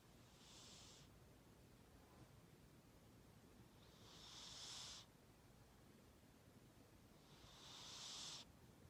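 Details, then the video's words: Shiro, a house cat, snores steadily. Airy, rasping breaths swell and then cut off sharply, about every three to four seconds, each ending in a brief hissing rush. No other sounds are heard. "Snore cat 코고는 고양이"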